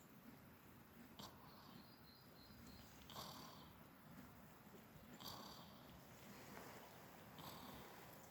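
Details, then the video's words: Shandie the sheep snuggled down for a snooze, giving a delicate snore: soft breathy rasps recurring about every two seconds, quiet against a steady hiss of background noise that she sleeps through. "Snoring Shandie Sheep"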